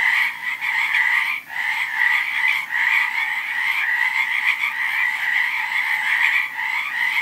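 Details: A thick chorus of many frogs: continuous pulsing croaks merge into a steady buzzing drone, with brief dips in volume near the start and again toward the end.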